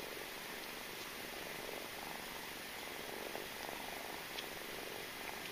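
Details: Mother cat and suckling kitten, a quiet sustained purr with regular rapid throbbing, swelling slightly in places, against soft constant room noise.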